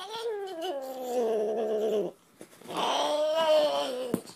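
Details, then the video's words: Domestic cat in a funny talking-pet compilation letting out two long, low, sustained moaning yowls, each about two seconds, separated by a short pause. "Ultimate Talking Cats"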